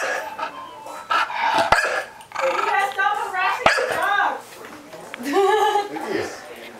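A Chow Chow gives whiny, wavering barks and whimpers, asking for more treats, while a person talks.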